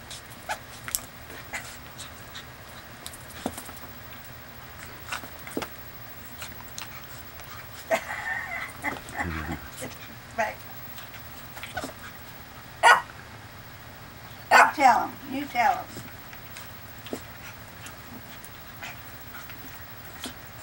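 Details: Two puppies playing together on 31 May 2011; scattered short yips and rough growling bursts, a louder squealing cluster near the end, with clicks and scuffling throughout.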